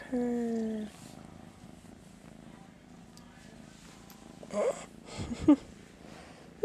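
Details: Master Shifu, a sleepy house cat, purrs quietly in the morning after flopping over for attention; a human voice speaks briefly first, then a low, even purr continues beneath some rustling.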